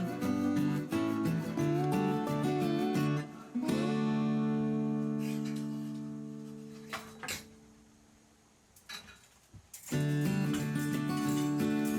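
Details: Acoustic guitar strumming fades into a long sustained chord, dies nearly to silence with a few soft knocks, then the guitar returns; no animal sound is heard.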